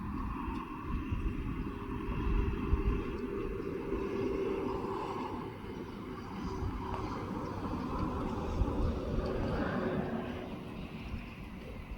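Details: Steady low rumble like a passing aircraft or vehicle, with faint distant voices and no animal calls.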